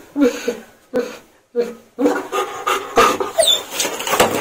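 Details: German Shepherd whimpering while being bathed, showing discomfort: short, broken whines and yelps in quick bursts, mixed with splashing and a person talking softly.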